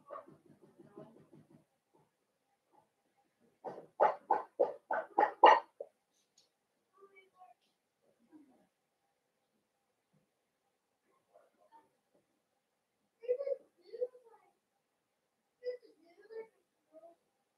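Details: A New Year's litter of five blenheim Cavalier King Charles Spaniel puppies in an indoor pen. Rapid, pulsing cries in a run of about two seconds are followed by later isolated squeaks and soft whimpers.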